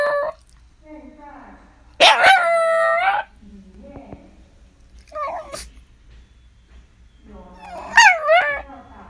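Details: Shiba Inu at home: a loud, drawn-out whining howl held steady for over a second, followed by shorter wavering cries rising and falling in pitch, with quieter low whimpers in between.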